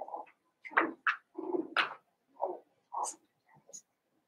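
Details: Seven-week-old Cavalier King Charles Spaniel puppies of Daisy's litter in an indoor home puppy pen, giving a quick run of short whiny yips and whimpers, some rising sharply, about eight in four seconds, with faint household clatter.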